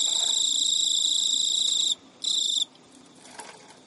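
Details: Male pet Emma field cricket (Teleogryllus emma) gives a long, high, shrill courtship trill, pauses, then a brief final burst, chasing a female who rejects mating; filmed at midnight, early September 2011, Japan.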